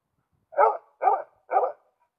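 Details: Male Karelian Bear Dog in June 2016, alert and watching other animals in the nature around it, gives three evenly spaced sharp barks, one every half second, with silence between.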